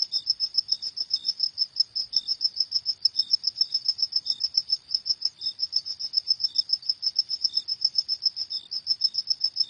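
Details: Cricket chirping at night: a steady, high, pure-toned trill of rapid pulses repeated about three to four times a second without pause, with a fainter lower chirp dropping in now and then; no other sounds.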